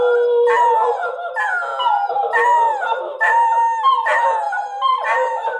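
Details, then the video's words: {'text': 'Several pet dachshunds howl together as their owner walks out the door, wanting the owner back; overlapping wavering, harmonic howls rise and fall continuously, with new voices joining roughly every second.'} "What Does the DOXIE Say?"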